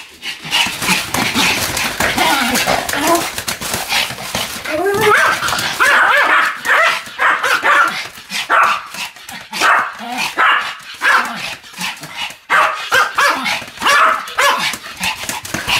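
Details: Pomeranian named Sam spinning rapidly about 155 times on a new mat, 24 November 2015, indoors; dense, fast high-pitched barks and yips run almost without pause, overlapping in a busy, continuous burst.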